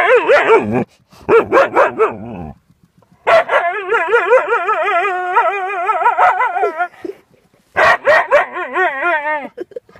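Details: A Siberian Husky makes insistent yapping calls at a hedgehog. Quick rhythmic yips in a row are followed by a long, sustained yowl that wobbles in pitch, then another run of rapid yips fading into a whine.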